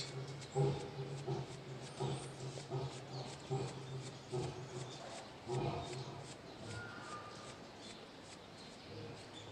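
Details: Lion roaring at Ikeda Zoo in Japan on 18 February 2019, heard from an Asian black bear's enclosure: deep rhythmic grunts spaced under a second apart and fading toward the end, over a constant low hum, faint voices nearby.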